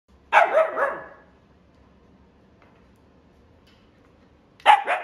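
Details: A female silver-and-white Siberian Husky, born 17 December 2021, gives a loud, harsh bark, then falls silent before barking again.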